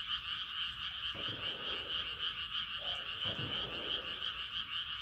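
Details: Frogs calling at night as the moon rises: a dense, unbroken high trilling chorus with a faint pulsing rhythm, plus a few short low thumps in the background.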